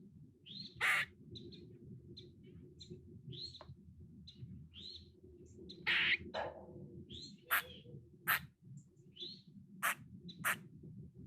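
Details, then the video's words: A squirrel sitting in a tree, calling in a kuk kuk kuk – quaa pattern: sharp harsh bursts scattered at irregular intervals among thin high chirping notes, over a steady low rumbling background. "Squirrel Singing Rhyming Making Noises Screaming"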